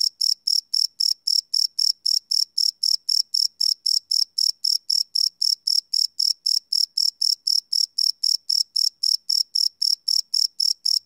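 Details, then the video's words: Cricket sounds at night from a live field recording, a persistent shrill chirp pulsing regularly around four times per second, constant in pitch and volume with a quiet background. "Cricket Chirp Sound - Cricket Sounds at Night"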